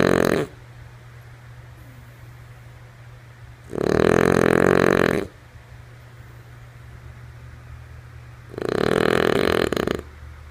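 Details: Female French Bulldog snoring in her sleep. A snore is cut off at the start, then two full, raspy, noisy snores about five seconds apart, each around one and a half seconds long. A constant low electrical-sounding hum fills the gaps.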